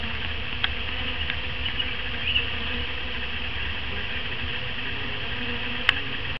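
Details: Italian honey bees from newly arrived packages being introduced to their new hive on April 3, 2012: a steady, dense swarm hum with a low drone and fainter higher buzzing, a few soft clicks and knocks.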